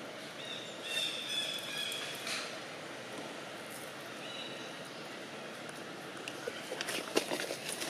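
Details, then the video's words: Janet, a young monkey in Siem Reap Province, Cambodia, cries loudly while April handles her and mother Jane does not help; high, thin squealing notes come in two bursts, then scattered clicks and rustling. "Janet Cry Loudly"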